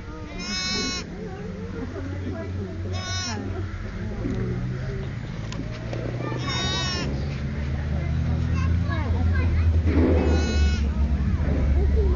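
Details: Bleating around new-born twin lambs, one learning to walk. Four short, tremulous bleats are spaced a few seconds apart over steady low background noise and occasional human voices.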